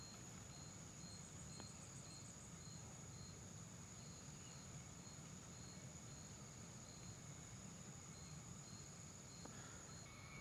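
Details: Crickets at Tanaw De Rizal near Metro Manila, a very quiet spot around five in the afternoon: short high chirps repeat about twice a second over a steady high hum, with a low rumbling background.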